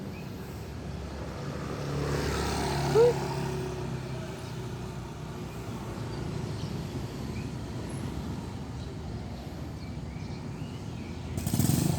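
Steady road traffic rumbles throughout, with no animal calls standing out.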